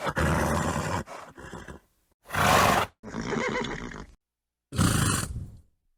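A horse gives several loud, rough bursts of snorting and neighing, each lasting about a second.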